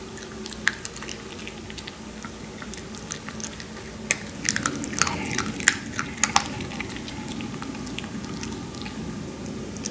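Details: Several Maltese puppies lying down as they eat: dense, moist chewing and crunching at roughly ninety bites a minute, getting busier midway, with a faint constant low drone beneath.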